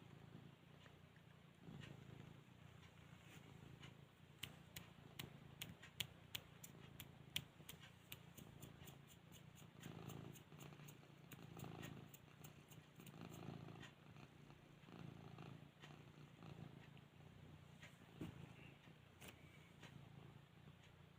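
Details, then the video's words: Flora, a pet cat trying to nap, purrs with a low, continuous rumbling hum; quiet, with scattered soft clicks and small rustling noises from the room. "Flora trying to have a catnap! Purring and yawning"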